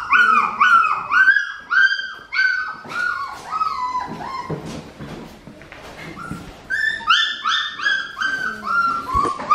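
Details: Australian Shepherd puppy, a 4.5-week-old red merle female born to Raven and Jackson on an Oklahoma farm, gives a steady run of high, arched whimpering yelps, roughly two a second, with a brief quieter gap midway, indoors.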